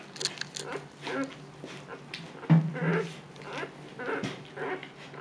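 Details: Siberian Husky Luna in labor, delivering puppies for the second time and staying calm, gives repeated low whimpers and breathy moans in short bursts, one louder grunting whine midway, inside a small room.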